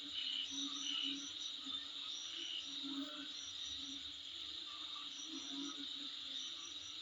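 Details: Insects near a home produce an unbroken high ringing buzz with scattered quick chirping trills, louder in the first second, and a faint low hum beneath.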